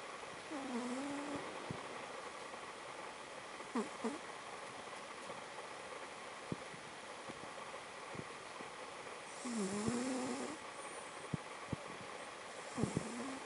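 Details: Noni, a pet cat, asleep and snoring: soft, quiet whistling tones that rise and fall, each about a second long, recur every few seconds over a low steady background hiss.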